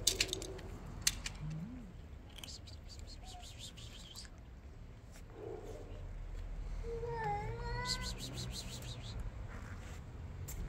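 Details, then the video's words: Hungry kittens calling because their dinner is late: a few short high meows early on, then a clear rising-falling meow with strong harmonics near seven seconds, over low room rumble and faint clicks. "The kittens said: you man! you are late for the dinner, we want to sleep."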